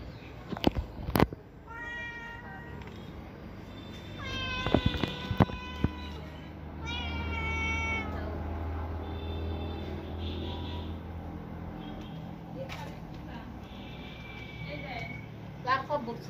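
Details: Domestic cat meowing: a short tonal meow near two seconds, a brighter cry around four and a half seconds, then a longer drawn-out meow near seven seconds, over steady low room rumble with a few sharp knocks.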